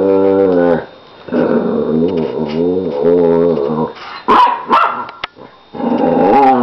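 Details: During playfighting between a nine-year-old Lhasa Apso and a one-year-old puppy, a long, steady, throaty growl-howl holds for about three seconds, then sharp yips and barks break out before growling resumes.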